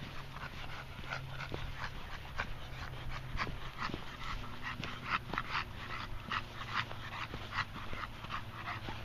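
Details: Moses, a red male Staffordshire Bull Terrier who tires quickly on walks, panting softly; irregular breathy puffs over a steady low hum, with a few faint whimper-like squeaks.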